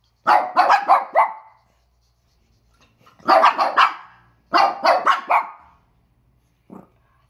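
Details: Peko and Poko, a one-year-old and a younger Pekingese, bark at a squeaky toy at home, October 2018. Three bursts of four or five quick, yappy barks with short silences between, ending in one brief single bark.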